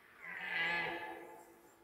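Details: Red deer stag roaring during the 2021 rut: one drawn-out hoarse, moaning bellow lasting about a second, swelling then fading, over a quiet outdoor background.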